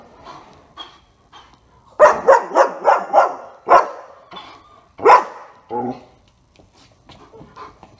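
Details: Board-and-train German Shepherd Otto barks in a rapid burst of five harsh, punchy woofs, then isolated louder barks and a short whine-like sound, with faint voices and soft noises in the gaps.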